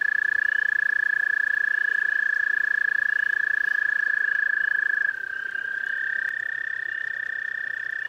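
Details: A few toads calling at a pond, their sustained buzzing trills overlapping: one steady, fast-pulsed trill fades out at about five seconds, as a second trill at a slightly different pitch carries on to the end.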